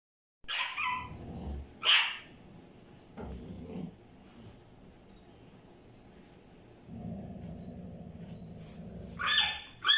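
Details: Milo, a tiny French bulldog puppy, wants a toy held by Basha, a Staffordshire bull terrier. A few short, high, sharp yips come in separate bursts with long quiet gaps, and there is faint rustling between them.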